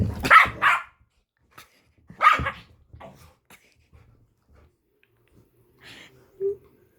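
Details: Small chihuahua-type dog, living alongside a pit bull, lets out sharp high barks in quick pairs at the start and again after two seconds, then scattered soft sounds and a faint squeak near the end.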